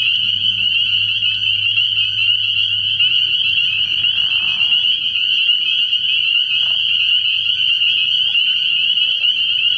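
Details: Many spring peepers at a frog pond at night in early spring, forming a steady piercing high-pitched ringing chorus with no gaps; a faint low hum at the start and a brief soft rush midway.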